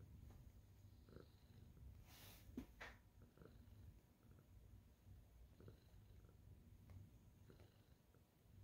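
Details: Senior tabby cat kneading, happy to see its owner; low rumbling purr partly masked by rustling and handling noise, with a loud scraping burst early on.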